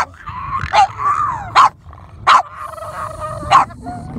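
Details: Boston Terriers meeting dolphins at sunset, playing and jumping around; four sharp barks at irregular intervals, with drawn-out whining, whistly tones between them over low background rumble.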